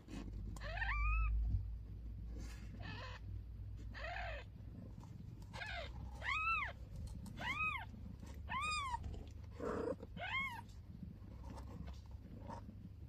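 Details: Newborn kitten on its first day with its mother cat: a string of about nine sharp, high meows that rise and fall in quick arches, clustered closely in the middle, over a low steady hum.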